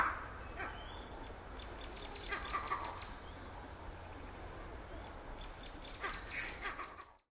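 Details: A vervet monkey on the edge of Lake Naivasha, Kenya, gives its harsh, raspy chattering call in two short bouts over a low rumble.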